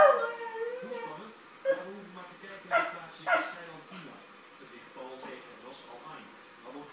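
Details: A dog making a meow-like sound at a cat: a wavering, tonal, whining cry in the first second, followed by several short, sharp vocal bursts and softer mewing notes that fade toward the end.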